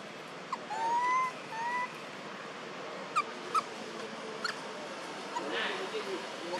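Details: Baby monkey Anya, frightened while her mother April attacks as she needs milk, in an archaeological park; two thin whistled cries, the first long and slightly rising, the second shorter, then scattered faint clicks and rustling.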